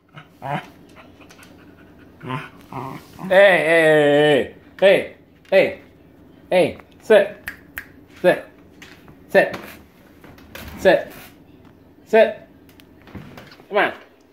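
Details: A 13-year-old Welsh Terrier named Maggie barks wanting her owner's dinner; a drawn-out wavering whine-growl, then a string of sharp single barks roughly one per second, with a person talking.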